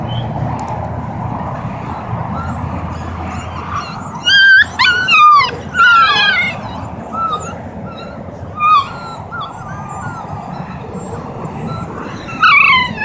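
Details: Siberian husky puppies with their family in Oregon, spending time together; clear high-pitched yelps and whines with rising and falling squeals, clustered around the middle and end, over a low steady rumble of engine noise.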